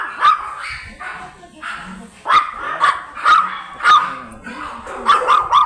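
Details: Blue Miniature Pinscher kept for stud service in Manaoag, Pangasinan, barking steadily: sharp, bright yaps about twice a second, some doubled in quick pairs, with faint voices between.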